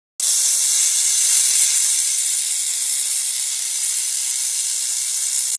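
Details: Rattlesnake rattling in warning, a sound meant to make people slowly walk away in the wild; a steady, dry, hissing buzz that holds unbroken for over five seconds after an abrupt start.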